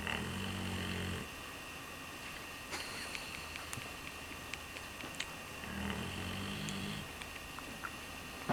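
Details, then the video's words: A sleeping Redbone Coonhound snoring like an old man. Two low, buzzy, rattling breaths about five seconds apart are separated by quiet breathing with faint clicks. "Redbone Coonhound snoring away like an old man"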